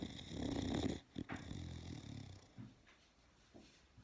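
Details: Boxer dog snoring while asleep indoors: a loud rough low rasping snore for about a second, then short snorts and quieter breathing rumbles fading out.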